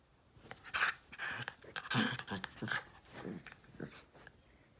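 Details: Pet Jack Russell x Fox Terrier Steve in a playful hand attack indoors; rough growling snorts run together in clusters, with low rumbling parts and breathy noise, in a small room.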